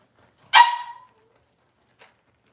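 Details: A single short, sharp yelp from a six-week-old Cavalier King Charles Spaniel puppy during deworming and toenail trimming, followed by near silence and a tiny click.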